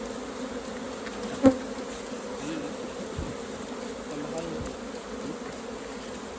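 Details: A colony of honey bees hums steadily while beekeepers harvest raw honey from the hive. A single sharp tap sounds early on, and faint handling noises follow under the constant buzzing drone.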